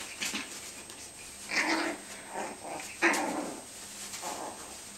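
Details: Playing puppies, a Yorkie and a Tibetan Terrier, bite at a bean bag. Four or five brief, strained growling yelps come about once a second, the loudest near three seconds, over a faint steady hum.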